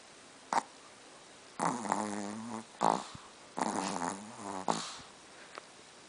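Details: A dog named Mel snoring indoors: slow rasping breaths in three drawn-out bouts about a second each, with harmonic rumbling and short snorts between them.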